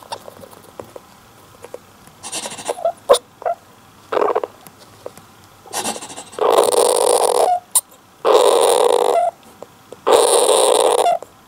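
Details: Syrian hamster named Don-chan, a male alone in his cage in the early afternoon, half asleep or irritated, giving a rare strange cry: harsh, hissing bursts about a second long, four in a row, after softer short scrapes and clicks.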